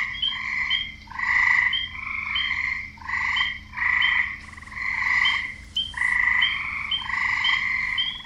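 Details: Male frogs croak to attract mates, harsh buzzy rattling calls in clusters nearly every second with short gaps, a few voices overlapping.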